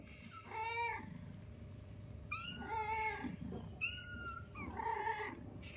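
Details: Newborn kittens playing with their mother, one of five kitties, indoors: three clear, harmonic meows about a second apart, each rising then falling, over a steady low electrical hum.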